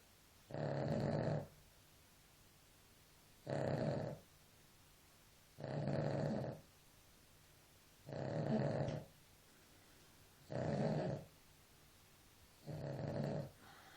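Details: A dog snores in its sleep, steady rasping breaths about every two and a half seconds, six in a row, each loud and rough with a low throaty rumble, quiet gaps between.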